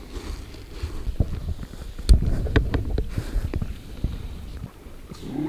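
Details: Harp seal pups rumbling while they wait for their mother, who has dived into the sea; deep, low grumbling pulses rise and fall unevenly, with a louder burst near the middle and soft background noise.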